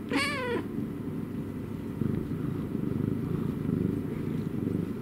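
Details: Domestic cat gives one short falling meow, then settles into a low, rumbling purr with a fast, even throb that continues to the end.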